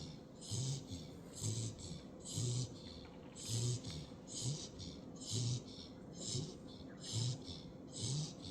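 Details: Sleeping puppy Hazel snoring indoors, regular low rasping breaths roughly every second, each with a breathy hiss, steady rhythm through the whole stretch over a quiet background hum.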